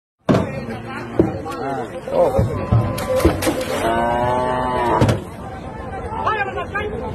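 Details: Cattle being unloaded at a village cattle market give long, drawn-out moos with rich harmonics, the clearest call swelling from about three and a half to five seconds, over steady crowd chatter and market bustle.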